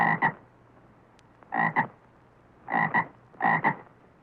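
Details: Frog croaking in four short bursts, each a quick double-pulsed rasp, spaced irregularly about one second apart over a quiet background.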